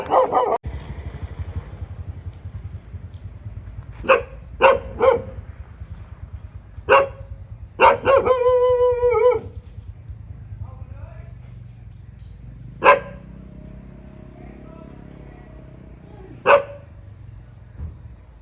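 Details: Dog at a friend's house in Thailand barking sparsely, single sharp barks several seconds apart, plus one drawn-out wavering howl-like bark; a low rumble runs throughout.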